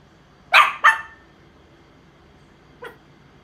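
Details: Chihuahua, indoors and praised for using a pee pad, gives two sharp, high yapping barks in quick succession, followed by a single fainter yip over two seconds later; otherwise quiet.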